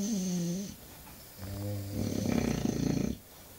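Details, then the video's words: Snoring English Bulldog: a short low droning snore, a pause, then a longer rattling, fluttering snore rising in intensity and ending abruptly, heard in a quiet room. "Bulldog ingles roncando"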